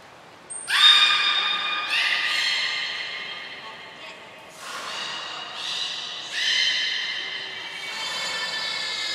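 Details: Belugas Gray and Mirai at Port of Nagoya Public Aquarium, Japan, training on 15 June 2022; a thin high whistle opens a run of bright harmonic squeals, repeated in several overlapping bursts.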